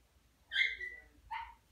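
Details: Dachshund mother of puppies begging for a treat or food: a high whining yip that rises then slides down, followed by a shorter bark, in a quiet room.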